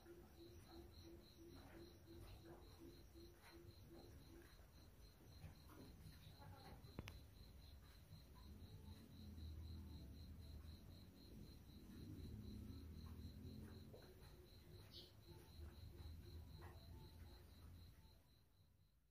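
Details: Young crickets aged three to twelve days. A faint, steady train of high, even ticks runs about four times a second over a low rumble, with some softer lower pulses early on.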